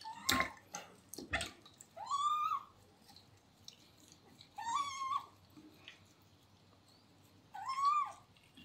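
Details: Rescued male kitten Terra complaining during his first bath: three drawn-out arched meows, rising then falling, spaced about two to three seconds apart, after two sharp knocks, over a quiet indoor background.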